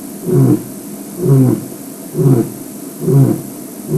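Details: Male lion signalling to his pride: four evenly spaced, deep, short grunting roars, roughly one per second, low and resonant, with a faint rumble of background noise.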